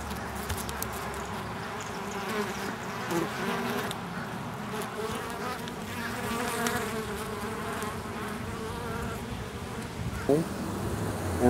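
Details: Honey bees, including stingless male drones, around their nest in an oak tree in Tampa, Florida, ahead of a swarm; a continuous layered buzz of many bees with a passing bee's pitch swooping near the end.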